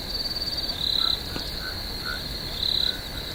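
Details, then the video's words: Swamp crickets at night keep up a constant high, thin trill, with two brief louder buzzy swells and faint scattered lower chirps. "Cricket, Swamp Sounds at Night"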